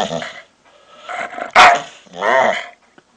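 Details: Pit bull described as angry, giving loud, harsh, rasping growls that break into a sharp bark, then a wavering, snarling growl.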